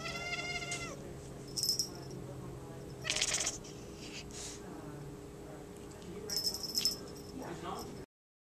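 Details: A male Maine Coon kitten in an animal shelter, watching a feather toy, gives a brief, high harmonic meow, followed by scattered rattling bursts.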